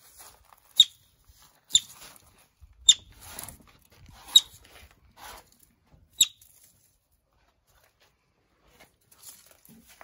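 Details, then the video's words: Yellow-bellied marmot arriving at a Pacific Northwest wildlife recovery centre for injured or displaced animals, giving five sharp, very brief high squeaks spread irregularly over about six seconds, with faint rustling and tapping between them. "Yellow-bellied Marmot Arrives"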